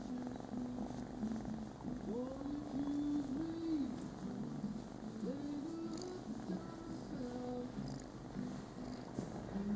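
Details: Tora, a Scottish Fold cat, wanting a little attention before a cat nap: a soft, steady low purr runs throughout with faint higher wavering tones, while a person speaks quietly nearby in a small room.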